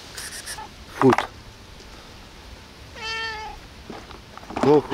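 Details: Indoors at 5 a.m., a cat asking for food gives one steady, tonal meow in the middle, while a person speaks in short bursts before and after it.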